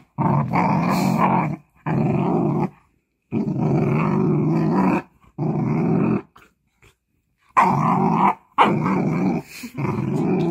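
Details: A female Jindo dog, born July 2019, growls in long, low, rumbling bursts, reacting to a stranger opening the door and coming into the house; finding: Jindo dog.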